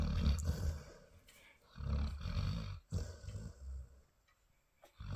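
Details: A Labrador mother dog snores while dreaming, three long, deep, rumbling snores with a rough growly edge and pauses between, as her puppies nurse; a faint room hush underneath.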